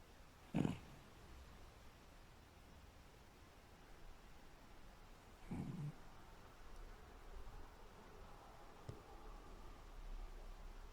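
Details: A sleeping toy poodle snoring like a middle-aged man: two short, rough snorts about five seconds apart, separated by quiet breathing, against a soft, hushed indoor background.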